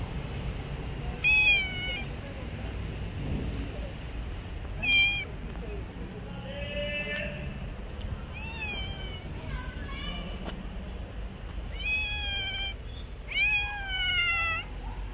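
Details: Stray cats living on the street give repeated high, harmonic-rich meows, some short and rising, others drawn out and falling, spaced every few seconds over steady low traffic rumble and faint human voices.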